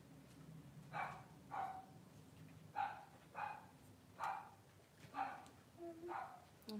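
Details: Cavalier King Charles Spaniel indoors during a whelping in which six puppies were born within two hours; seven short, yelping barks come at uneven intervals of roughly half a second to a second, over a low background hum.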